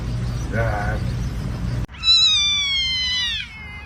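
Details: Cat from a funny cats fighting compilation: a faint brief meow, then after a cut a loud high-pitched, tonal cry held for over a second that slowly falls in pitch, over a steady low hum.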